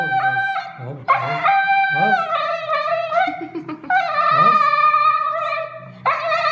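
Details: Siberian husky howling after anesthesia in drawn-out, wavering tonal notes, broken by short yelps and whimpering slides between the sustained cries.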